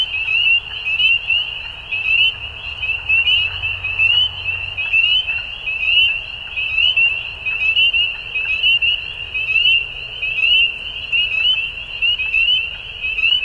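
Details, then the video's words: Frogs calling at dusk in spring in Ontario, Canada: a dense, continuous high chorus of short rising peeps overlapping each other, steady throughout with rhythmic swells in loudness. "Frog Sounds At Dusk"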